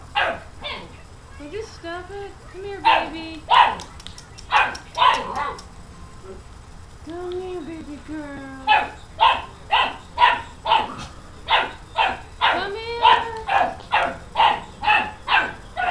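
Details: Dogs barking at a new puppy: sharp, loud barks in irregular volleys, then a steady run of about one bark per second, with a couple of drawn-out whines between.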